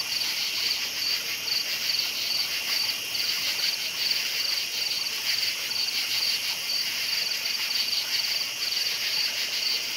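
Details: Crickets chirping after dark, a steady high trilling chorus with fast regular pulses layered over a faint hiss, unchanging throughout.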